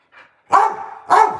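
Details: A Staffordshire Bull Terrier barks at the camera during a night livestream, giving two loud, sharp barks about half a second apart.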